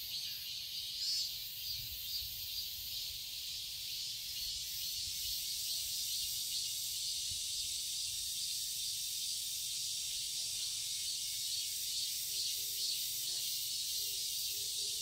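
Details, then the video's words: A garden in Seoul, Korea, on a summer day fills with a loud, unbroken high whine of cicadas, a dense shrill hiss that builds slightly in strength over the recording. "Cicadas chirping sounds"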